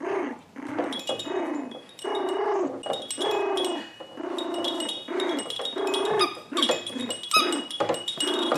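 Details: Seven-week-old poodle puppies from Rainey's litter at play, giving short, rough, growly bursts, repeated about once a second with brief gaps, under steady bright chiming tones.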